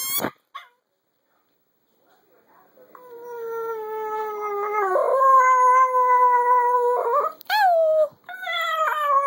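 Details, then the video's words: Floyd, a Chihuahua, sings in a long sustained howl that begins after a quiet start, holding a steady tone with rich harmonics for several seconds, then a sharp rising yelp and a renewed howl. "Floyd is the best Chihuahua singer in the world"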